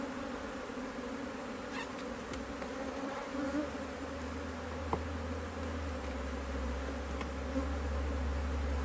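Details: Honey bees around a Hive IQ beehive in Australia, mid-Autumn 2023, during the opening of the hive to add a box. A faint buzzing drone sits under a heavy low rumble and a few sharp clicks.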